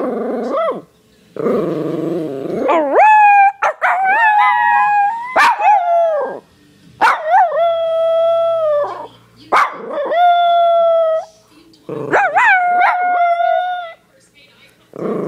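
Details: Schipperke howling in drawn-out, wavering notes that rise then hold steady, set off by a person howling to get him started.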